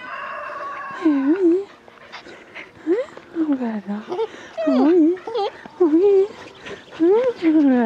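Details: Border Collie puppies on a farm, eager for attention and in a joyful mood, give repeated high wavering whines and yelps, bending up and down in pitch, in bursts across the clip.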